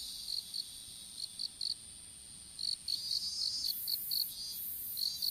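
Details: Insects calling in an open-air strawberry field while seedlings are planted, recorded on a dropped smartphone: high, clipped chirps in irregular clusters of two to five, with brief pauses, over a faint steady high-pitched whine and a soft hiss.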